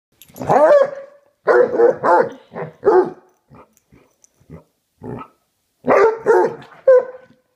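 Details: Two Basset Hounds play fighting on a bed: loud, rough, bawling barks and growly yowls in quick bursts, a short run of soft snuffles and pauses, then more throaty barks.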